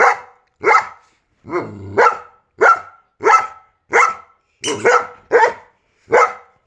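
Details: Giant Schnauzer reacting to a squeaky sound with loud, sharp barks repeated roughly every half to one second, one brief low growl early on, and a faint high squeak.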